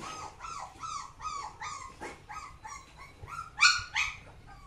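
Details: Samoyed voicing quick, uneven yelps and whiny barks, harmonic and mid-pitched, about three per second, ending in a louder, higher pair of squeaky yips, with faint low background hum.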